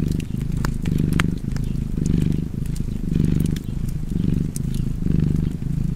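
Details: Close, low purring from a domestic cat, rising and falling in even breath-paced waves, with crisp fireplace crackles snapping over the rumble.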